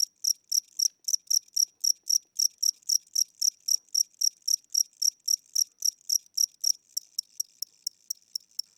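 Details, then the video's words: Tired old cricket chirping inside a home at night; regular high-pitched pulses near four a second, growing thinner and softer toward the end, no other sounds. "Cricket Chirping Sounds: Low Battery"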